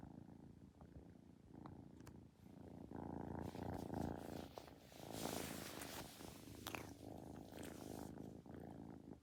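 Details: Kitten purring low and rumbling, growing louder midway with brief rustling and higher hissy noise as the kitten yawns and gets up.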